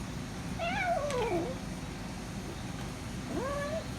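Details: Hungry female kitten, noisy and guarding her food while eating, makes a falling, wavering meow followed after a pause by a shorter rising meow, against steady low background noise.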